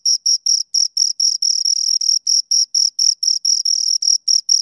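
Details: High, ringing chirps from two crickets come in a quick, fairly even series of short bursts, roughly four per second, with a few longer runs mid-way and a quiet background.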